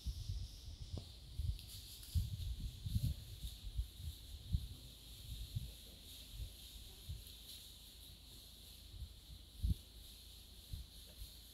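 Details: Wild pigs in a forest, met by a man: a run of low, short grunting pulses at irregular intervals, clustered in the first five seconds and then sparser, over a steady background hiss of insects or wind.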